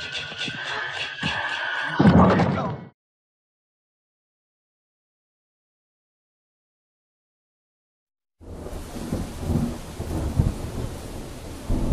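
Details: Short loud rumbling noise, then silence, then rain-like crackling noise, with no animal voice.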